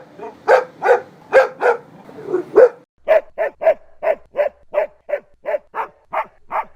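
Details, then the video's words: Domestic dog barking, one of ten breeds presented in turn: a few loud rough barks, then a steady run of about a dozen short, evenly spaced barks at a mid pitch, nearly one every third of a second. "10 Dog Breeds Barking Sound Effects"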